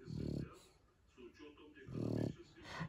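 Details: Sleeping female Shar Pei named Zlata gives two deep, buzzy snores about one and a half seconds apart, with a woman's soft speech in the gap between them.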